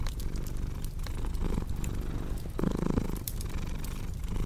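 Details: Domestic cat purring beside a crackling fireplace: a low, steady rumbling purr that swells and eases with each breath, overlaid by sharp pops and snaps from burning wood.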